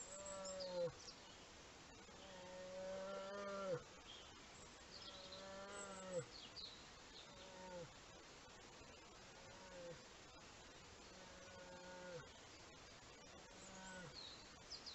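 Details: Brown bear cub with its mother, recorded by a camera trap in Horný Liptov, gives a series of tonal, mooing calls. Each lasts about a second and bends slightly down at the end, repeating every two seconds or so over a constant hiss.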